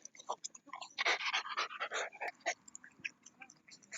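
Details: Shiba Inu named Rara playing ball outdoors at a dog run, heard as quick, irregular panting breaths in rapid bursts, with brief human voices and laughter in the background.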